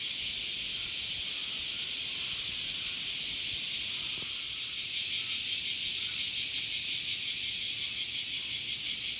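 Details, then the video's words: Cicada males in summer sing a constant, sizzling buzz with a slight rhythmic pulsing, made by flexing their tymbals. A soft click is heard near the middle, and the drone swells a little afterward. "THE SOUNDS OF CICADAS ( semi goe ) THE SUMMER INSECT"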